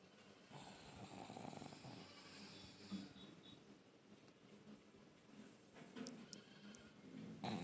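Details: Pug dog snoring indoors, a soft rasping rhythmic breathing with low rumbling inhalations and exhalations, plus faint clicks and small noises near the end.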